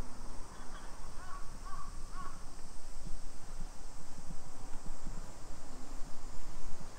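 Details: Steady, piercing hiss of summer cicadas in a Nisshin neighbourhood outside Nagoya, Japan, at 2 PM on 28 July 2021, with a few short crow caws early on and low street rumble.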